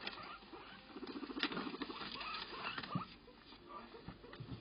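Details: Two pet guinea pigs, Ginny and Luna, play with a paper bag; quick low chattering calls repeat rapidly over crisp paper rustling and scratching.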